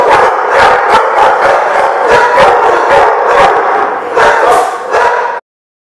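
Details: Dogs barking in a lot, recorded 2/6/15: a dense chorus of overlapping sharp barks, several every second, continuing without pause before an abrupt stop.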